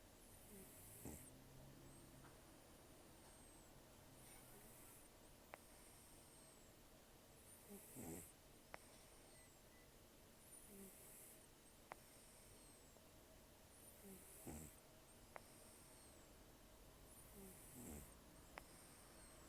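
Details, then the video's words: Snoring of Taro, an elderly rescued cat taken in during October 2024 and almost toothless after long outdoor life, as he sleeps: soft hissing breaths and nasal snorts at a slow, even pace over constant background hiss. "ねこのいびき 猫 いびき"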